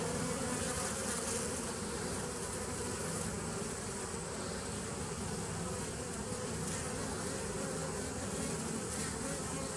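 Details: Continuous droning of honey bees in a nucleus colony started in 2017, recorded on 27 September 2018. The thick, even hum stays at a constant level throughout, with a low rumble and a fuzzy upper wash.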